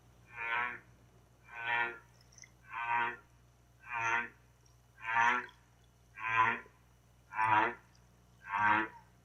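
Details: Humpback whale song unit, from a baleen whale with a pitched, tonal voice likened to slowed-down bird song: eight short, buzzy, harmonic grunts repeated steadily about once every 1.2 seconds.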